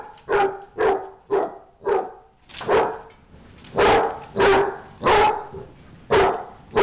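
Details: Dog barking during a fight, loud harsh barks in uneven bursts, about ten in under seven seconds, some short and clipped, others longer and rougher, with brief quiet gaps between.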